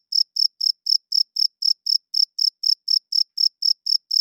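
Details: Loud nocturnal cricket chirping, used by males to court females and defend territory: a regular series of sharp, high chirps, roughly four each second, in clean silence.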